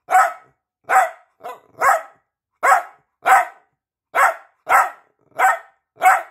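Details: Peanut the piebald Dachshund demands attention with a rapid string of ten shrill, clipped barks in just over six seconds, one shorter yap slipped in among them.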